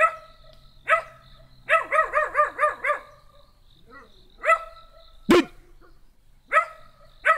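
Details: Small black dog barking in short harmonic bursts, single barks then a quick run of five rapid yaps, with a sharp click-like knock midway and quiet pauses between.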